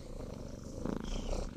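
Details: Domestic cat purring, a sound used in purr therapy to calm people and linked with rest and serenity; low, steady rumbling purr throughout, with faint higher sounds in the background.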